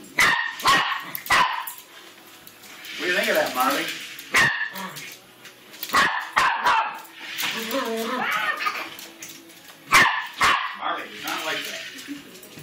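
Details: Dog barking at a remote-control car: loud sharp barks, singly and in quick pairs, spaced through the recording, with people talking in between and faint whirring in the background.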